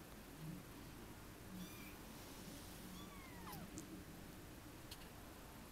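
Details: A 23-day-old Munchkin kitten gives thin, high mews that sweep down in pitch, over a low background hum.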